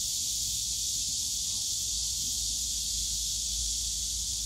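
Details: Steady shrill drone of many cicadas in Yongsan Family Park's bamboo grove on a summer day, a constant high sizzling band with no pauses and light low-pitched ambient park noise.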